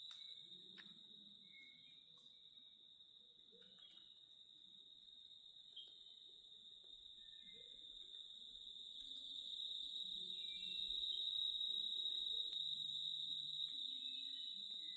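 A steady, high-pitched cicada drone hums on without pause, swelling slightly louder toward the end.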